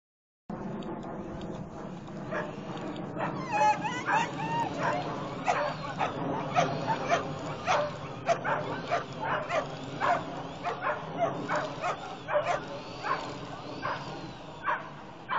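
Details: Irish Wolfhound lure coursing for the first time, with a long run of sharp excited barks and yips at irregular intervals over background voices and outdoor noise.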